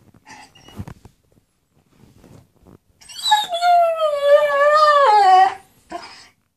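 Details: German Shepherd begging for his toy, a few soft sounds, then one sustained wavering high whine of about two and a half seconds dropping in pitch at the end, and a short whimper after.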